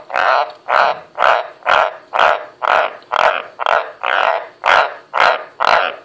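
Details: Several White's tree frogs (Ranoidea caerulea) croak on command, a steady run of deep, harsh croaks, about two each second.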